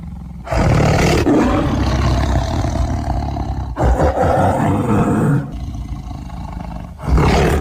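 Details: Tiger roaring in long, deep, rasping bouts of a few seconds each, separated by short pauses, the low rumble dominating throughout.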